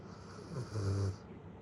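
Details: Low drawn-out snore from Lala, a female Great Pyrenees aged one year seven months, one deep rumbling breath swelling and fading within about a second, with a faint room hum behind it.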